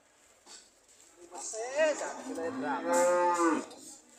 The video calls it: The sound of Cows ready to leave